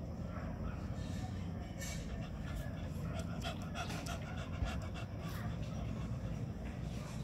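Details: A chubby beagle panting: steady, rapid, breathy rasps run through the whole stretch over a constant low rumble, with faint scattered clicks above.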